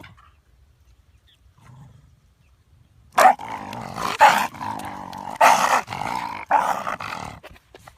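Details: Shiba Inu on a walk. Silent for three seconds, then five loud, strained, harmonic cries over about five seconds. Each cry is a drawn-out wail with short gaps between. No other clear sounds.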